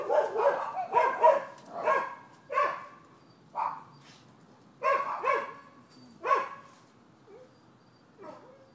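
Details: Neighbors' dogs keep barking on 12/7/15. A rapid, uneven volley of about a dozen harsh barks, some doubled, slows and fades toward the end into faint whines.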